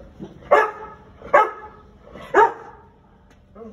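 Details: American Akita in Gurgaon barking three times at uneven gaps of about one second, each bark a sharp harsh burst, with faint low sounds between them.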